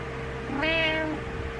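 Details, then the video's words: Butters, a pet cat, calls in the morning to wake its owner: one clear, slightly rising then level meow lasting about half a second, rich in harmonics, with a low steady room hum beneath. "Frustrated Morning Meows"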